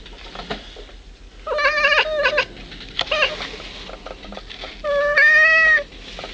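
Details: Pet cat Caleb, also called the Lubz, talking to birds on 1.25.09: a short series of harmonic, slightly nasal meows, then a single brief mew and a longer, louder drawn-out meow near the end, with faint clicks and room noise between.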